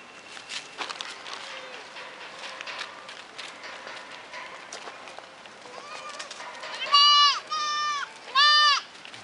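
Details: White and red goat kids: after several seconds of faint background chatter and rustling, three loud, wavering, nasal bleats come close together in the final two seconds.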